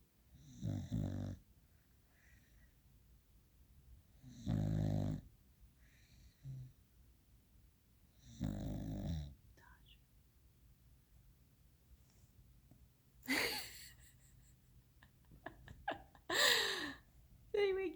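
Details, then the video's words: A sleeping dog snoring loudly: deep, raspy, rattling snores repeating about every four seconds, followed by a person speaking softly, apologising and telling it to go back to sleep, with rustling sounds. "Everyone is sleeping and the dog is snoring"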